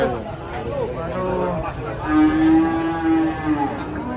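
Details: An injured cow with a broken leg from a slip gives a long, steady, drawn-out moo in the second half. It follows softer lowing and is set against people talking nearby.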